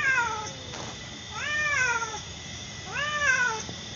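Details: Same-coloured mother and daughter cats calling indoors, three drawn-out meows spaced roughly one and a half seconds apart, each arching up then sliding down in pitch, with a quiet room background.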